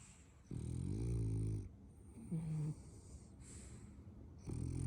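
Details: French Bulldog puppy asleep and dreaming, snoring in low rasping breaths: a long harmonic snore of about a second, a shorter rising one, then another starting at the end, with quiet pauses between.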